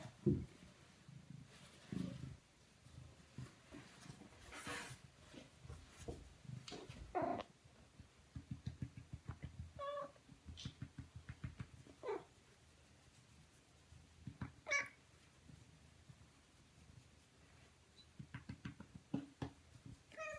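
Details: Male Siamese cat indoors, purring in steady low pulsing bursts across the clip, broken by a few short, higher meow-like calls and soft rustling.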